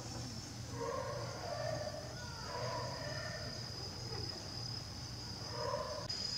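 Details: Captive jaguar Uzuki Sasuke at Tobe Zoo, 5 October 2021, giving his customary deep, heavy call: several rasping grunt bursts in a row, a pause, then another burst near the end, with constant high-pitched insect buzz behind.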